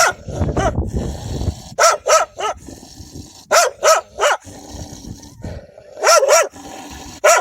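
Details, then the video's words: Wild dogs defending their pups: a low rumbling opening gives way to loud, sharp barks in pairs and singles, ringing and urgent, repeated every second or so against background noise. "كلاب برّية تدافع عن صغارها بصوت نباح قوي ومرعب"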